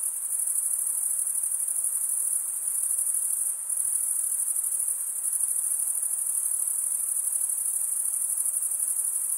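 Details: Stridulating male crickets produce a steady, very high shrill trill, one wing's edge running over the teeth of the other, with a brief dip in loudness a few seconds in; faint hiss below, nothing else heard.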